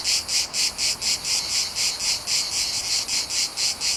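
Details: Cicadas chirping in a Mediterranean summer, recorded in nature; sharp, high buzzing bursts pulse steadily about twice a second, each swell distinct and loud against a quiet background.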